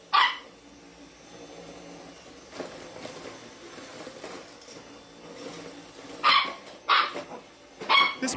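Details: Domestic dog in a funny pet compilation giving a few short, sharp barks near the start and again in a cluster of three late on, with quiet room noise between them.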